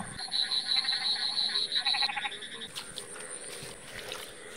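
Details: A loud frog chorus of rapid, high, pulsing calls over flooded village fields and canals in Bangladesh after heavy rain, with a man's voice speaking over it.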